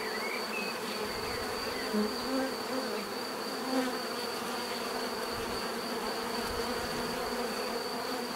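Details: Bees buzzing in a dense, steady drone with stacked low harmonic bands and a constant high thin tone above; brief faint chirps from another creature appear near the start and middle.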